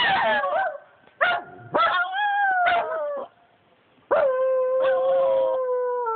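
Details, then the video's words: Howling from two pet dogs, Bobby and Angel: short yelps leading into long steady howls that hold a level pitch or dip slowly, with silent gaps between phrases. "Bobby and Angel howling lol"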